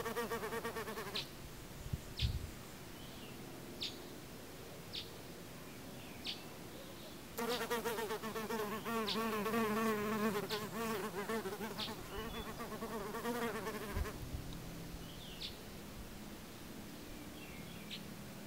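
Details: Sand wasp: a loud, steady buzz with a slightly wavering pitch starts abruptly, lasts about seven seconds, then cuts off. Faint short ticks and clicks are heard before and after it.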